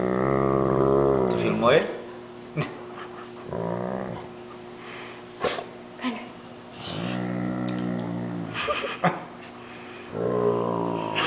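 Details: A male Great Dane gives long, deep, droning moans likened to a water buffalo, with a buzzy, rich tone broken by short gaps, while someone pretends to bite his paw.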